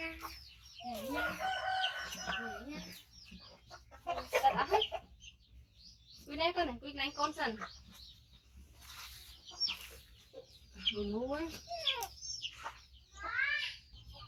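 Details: Five-month-old baby monkey, rescued from a hunter and living with its carer, calls loudly while waiting for food: clusters of wavering, warbling squeals and rising whines in bursts, alternating with a person talking and quiet gaps.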